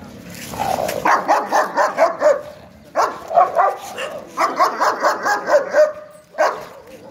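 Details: Rottweiler and German Shepherd in a fight; rapid series of loud, harsh barks in three bursts, each with five to eight barks close together, separated by short pauses, with a growling undertone.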